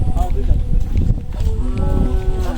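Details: Cow at a village cattle market in a rural setting before Eid al-Adha 2024; a short rising-then-level harmonic moo in the second half under heavy low rumble, handling noise and people talking.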